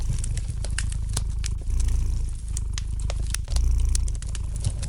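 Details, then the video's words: Domestic cat purring gently beside a lightly crackling fire in a fireplace, for relaxation; a steady low rumbling purr swells and fades in long pulses, while sharp crackling pops from the fire are scattered throughout. "Relax to the gentle purring of the cat and the light crackling of the fire in the fireplace!"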